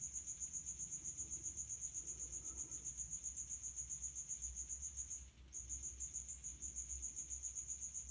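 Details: Male common house cricket (Acheta domestica) stridulating its wings at high heat from a resonant hiding place; a steady high-pitched chirping train of rapid pulses, about four per second, with one short break near the middle.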